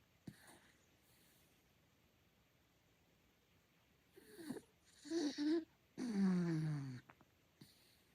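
A sleeping Miniature Dachshund gives odd, squeaky snores that rise and fall in pitch.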